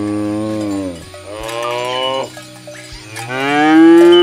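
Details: Healthy cattle on a morning walk to the field: three long harmonic moos in quick succession, the final one rising and getting louder, with faint cowbell jingles in the background.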